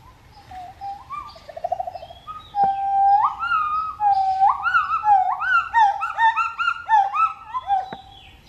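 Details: Pileated gibbon family calling: soft opening notes and a brief bubbling trill give way to loud, clear hoots that swoop up and down in a quickening series of rising, overlapping whistled phrases, with no other notable sounds.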